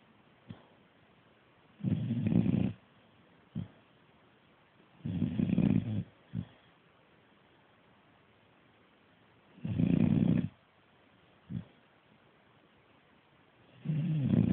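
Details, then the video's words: Staffordshire bull terrier puppy snoring asleep after a hard day of chewing; low, rasping snores in bursts of about a second, spaced unevenly every few seconds, with soft short breaths between. "staffie snoring after a hard day chewing!!"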